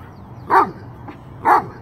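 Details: Dobermanns playing outside in cold weather give two clear, evenly spaced barks about one second apart, with a faint softer sound between them.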